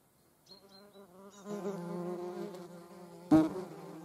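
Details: European hornet in the company of a median wasp: after near silence and a few faint high chirps, a low droning wing buzz builds and holds, interrupted by one sharp knock.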